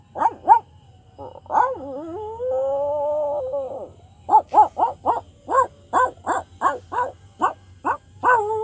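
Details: Dog barking twice, then a whiny wavering call that stretches into a drawn-out howl lasting about two seconds, followed by a brisk run of about fourteen sharp barks, roughly three per second.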